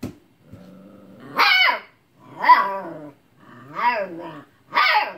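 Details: Siberian husky puppy getting mad at an old cat for not playing, giving its husky puppy bark: a low growl rising into four loud, drawn-out, wavering yowling barks about a second apart, in a small indoor room.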